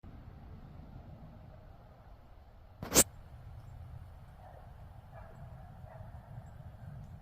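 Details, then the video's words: A doe wheezes in thick fog, alarmed at something in the treeline and then at a watching person. A single sharp, breathy, hissing blast stands out against a low, steady outdoor rumble. "Deer Wheezing in Thick Fog"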